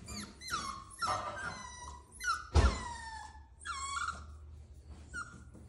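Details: Frightened Cavalier King Charles Spaniel puppy afraid of going down the stairs, giving several thin whining cries that fall in pitch, with a dull thump near the middle and brief pauses between whines.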